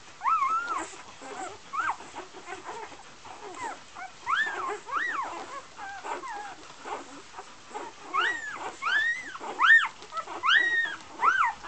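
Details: Several Golden Retriever puppies of an Icelandic litter from Gabriella and Josh at Great North Golden, giving a busy chorus of short, bent, squeaky whimpers, some rising, some falling, overlapping irregularly throughout.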